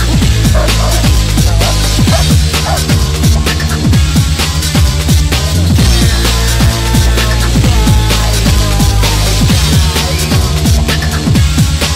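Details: Loud drum and bass track with heavy pounding beats and dense electronic layers throughout; no animal sound is heard.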